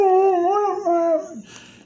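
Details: Dog howling indoors in a mournful, wavering tone, sliding up and down, with rich overtones for about 1.4 seconds, then fading and dropping in pitch at the end; a quiet room tone follows.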